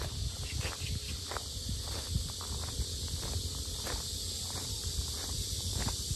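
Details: Cicadas droning at the Sinjeongho lotus fields in Asan, a continuous high sizzling wash, with heavy footsteps and low thumps of walking in the foreground.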